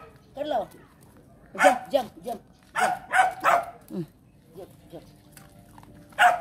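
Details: Pet dogs barking while being trained at home in the Philippines; short loud barks in quick pairs and triplets, then a pause and a final bark, with a person talking between them.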